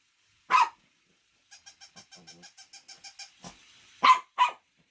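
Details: A single loud dog bark comes first, then a steady train of about a dozen soft clicking pulses. Two more sharp barks close the sequence.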